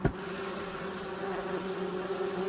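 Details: A kept bumblebee beats its wings, giving a steady, low, droning hum that holds one pitch throughout; the keeper warns that provoking this buzzing stresses the bee and can shorten its life.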